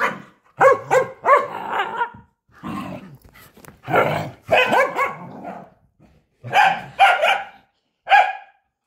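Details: Corgi barking while playing fetch: sharp, harmonic barks in clusters of two or three, mixed with rougher growl-like yaps and short pauses.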